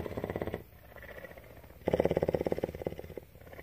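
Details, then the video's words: Female cougar, or mountain lion, living in captivity at a rescue center in Bridgeport, Texas, purring: a loud, fast, pulsed rumble lasting about half a second, a quieter stretch, then another strong throbbing burst of over a second. "Cougar purr"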